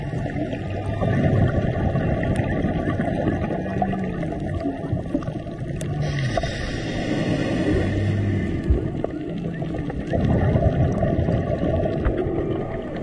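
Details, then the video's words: Humpback whales singing near divers off Maui in March, low moaning tones around and below a few hundred cycles drifting through steady underwater hiss, with faint higher bubbling and clicks. "Diving in Maui (Serenaded by Humpback Whales)"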